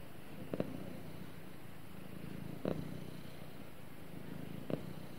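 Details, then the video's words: A cat cuddling with its owner purrs in an even low drone, punctuated by three brief rustling clicks spaced about two seconds apart. "Cute Cat Snuggles With Owner And Purrs"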